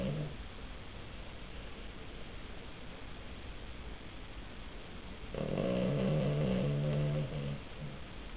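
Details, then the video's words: Cavalier King Charles Spaniel asleep, giving one long, throaty, vibrating snore lasting nearly two seconds after a quiet stretch, with a faint trailing breath and soft room hiss. "Cavalier King Charles qui ronfle !"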